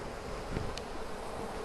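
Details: A steady, low, rough hum from many honey bees growing temporarily agitated as frames of their Flow Hive are inspected; more smoke is used to calm them.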